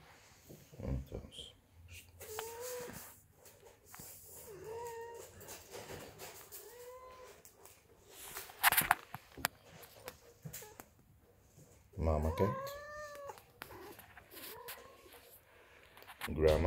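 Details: Ragdoll cats, a family of mother, grandmother and kittens acting funny at home, give a series of clear arched meows, each rising then falling, repeated every two to three seconds, mixed with Dutch speech and household bumps.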